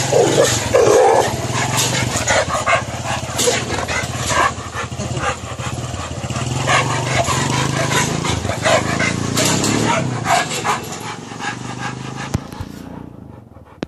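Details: In India, a Rottweiler attacking a man barks in rough, rapid bursts amid shouting human voices.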